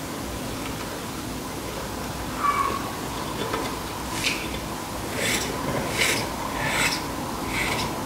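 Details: Adult male peppered roach, a captive hissing when disturbed by contracting its abdomen; five short, breathy, noise-like hisses in the second half, spaced roughly a second apart, over a steady low background hum.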